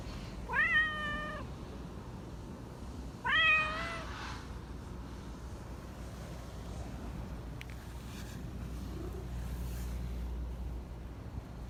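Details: Sweet-voiced black Persian park cat, a chatty one, giving two slightly rising then level meows about two and a half seconds apart, followed by quiet outdoor ambience with a low rumble and a brief click.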